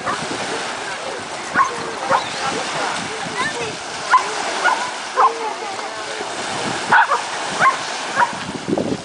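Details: Cane Corso, an Italian Mastiff, having fun at a dog beach: short, sharp barks come irregularly, roughly one to two seconds apart, over a steady wash of surf and a woman speaking Russian.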